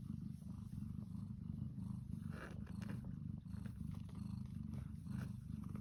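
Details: A Devon Rex mother cat purrs in a steady, deep, rumbling drone with a soft pulsing rhythm while her two kittens nurse and jostle for food.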